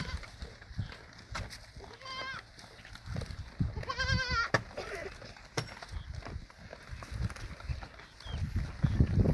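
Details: Goats at a goat farm, adults and kids together: two quavering, wavering bleats, a short one followed by a longer trembling one about two seconds later, over steady low rumbling farmyard noise and scattered clicks.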